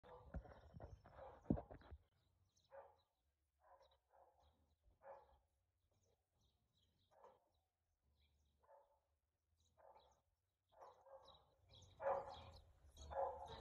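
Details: Husky barking, recorded 4/2/2022 at 2:57 pm; faint, scattered single barks spaced a few seconds apart, louder at the start and in a closing burst of several barks, with quiet low rumble outdoors between them.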